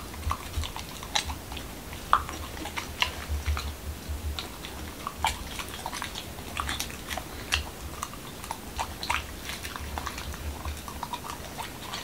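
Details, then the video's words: Male Pembroke Welsh Corgi named Momo biting into a doggy taco night meal at home in Washington DC; loud crackling crunches arrive every half second or so, interspersed with softer mouth sounds and a low background hum. "Dog Eating Tacos"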